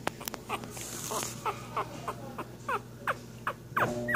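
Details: Week-old Cocker Spaniel puppies giving soft, short whimpers and downward-sliding squeaks, several per second, over a faint background hum and rustling.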